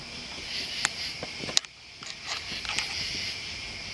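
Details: Crickets and other bugs form a steady, high, shimmering drone that never breaks, layered in several bright bands, with a few sharp clicks and knocks over it.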